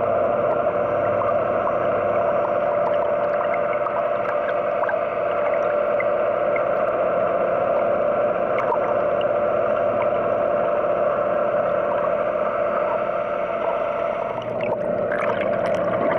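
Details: An adult male orca, met on a spring cruise off Rausu in Shiretoko, Japan, calls underwater with long, steady tonal notes and scattered pulsed sounds, over a constant low hum, likely a boat engine.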